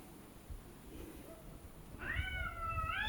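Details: Two cats arguing with each other: after quiet rustling, a loud drawn-out meow begins at two seconds, wavering and bending downward, then rises again at the end.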